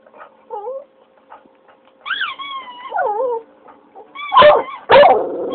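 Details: English Cocker Spaniel kept as a pet howls in answer to a squeaky toy a child is squeezing. Brief soft whines lead into a longer wavering, bending howl, then two loud, harsh bursts close the clip.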